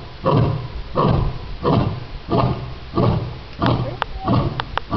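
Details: A lion at the NC Zoo barking: deep, rough, grunting barks repeated steadily about every three-quarters of a second, low and throaty, with a few faint clicks near the end.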